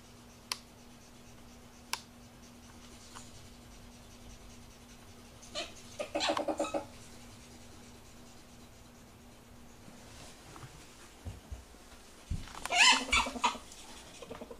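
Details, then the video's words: Ferrets during mating give two short bursts of harsh, clucking chatter, one near six seconds and a louder, denser cluster near thirteen, separated by quiet room tone with faint clicks. "Ferrets Mating"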